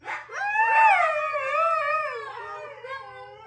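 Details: Four Siberian Huskies howl together in a long, wavering, tonal wail that slowly slides and settles lower.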